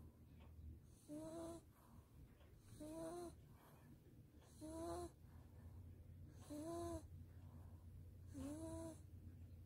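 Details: A Maltese dog, bathed and blow-dried and now asleep in its owner's arms, snores softly, each drawn-out, slightly whistling breath repeating about every two seconds.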